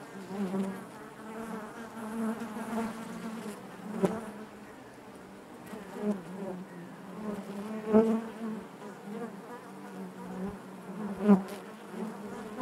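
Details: Steady low hum of many honey bees within a hive, a continuous droning buzz rich in overtones, broken by brief louder surges and faint clicks near four, eight and eleven seconds.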